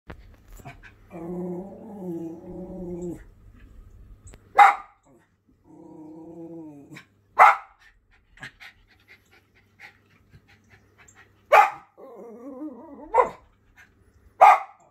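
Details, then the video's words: Jett, a Schipperke dog, sounds off at birds he won't allow on his property: sharp broadband barks spaced a few seconds apart, alternating with long, harmonic, whining growls between them. "Jett the Schipperke telling the birds who's boss"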